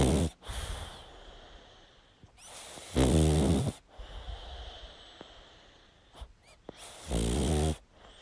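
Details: Pug dog sound asleep, snoring in long, coarse, buzzing breaths with a sharp snort and faint wheezy squeaks between the two loudest inhalations.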